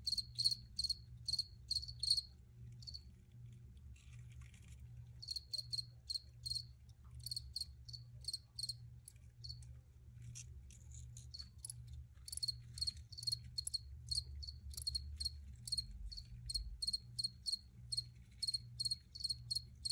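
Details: High cricket chirps repeated rapidly in runs, with short gaps between groups, steady in pitch, above a faint constant low hum.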